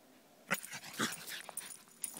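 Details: Pug mix dashing around wildly in a forest, giving short excited growly vocal bursts and yips over a couple of seconds, with rustling between them.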